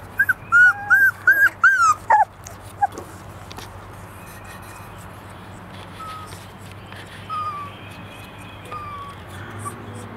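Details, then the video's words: Airedale Terrier puppies three weeks old, in East Tennessee, making a quick run of about six loud high whines in the first two seconds, then faint scattered squeaks over a low background hum. "Airedale Terrier Puppies - 3 Weeks old"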